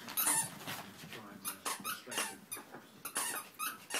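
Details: Three Chihuahua puppies at play give short, high squeaks and yelps in irregular bursts, some drawn out, with sharp yips scattered through about four seconds and faint human voices low in the background.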